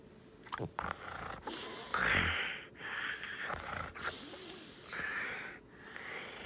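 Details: Siberian husky named Hiro, nose stuck against a bed after digging and face-planting, breathing in loud broad snorting rushes, several bursts a few seconds apart with short quiet gaps between.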